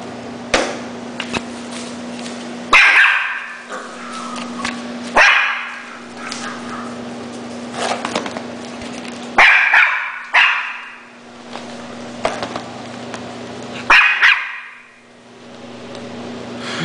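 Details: Schnauzer giving loud, sharp, bright barks singly or in pairs every few seconds, about six in all, with short quiet gaps and a constant low hum underneath.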